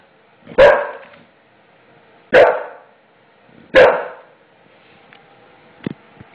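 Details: A male English Bulldog, upset and scared after the floor was put in, barks at the new floor: three heavy, hoarse barks about one and a half seconds apart, then quiet ticks and a knock.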